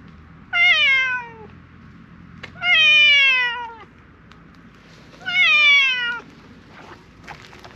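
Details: A grey mackerel tabby stray cat in a park calling loudly to ask for something: three drawn-out meows, each falling slightly in pitch, about two and a half seconds apart, with light background noise.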